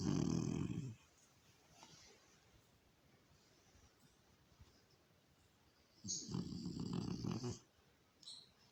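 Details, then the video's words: Snoring French Bulldog: a loud, rough, rattling snore in the first second, a long quiet pause, then a second harsh drawn-out snore lasting about a second and a half, followed by a short faint snuffle. "Mon bouledogue français qui ronfle"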